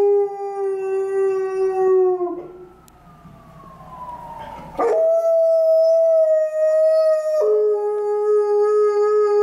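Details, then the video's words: Liza, an Alaskan Malamute lying on a stairwell on a gloomy afternoon, howls at a passing ambulance: long sustained rich-harmonic tones, a falling slide, then a steady higher held note dropping back to the lower pitch. "A long stairwell howling by Alaskan Malamute"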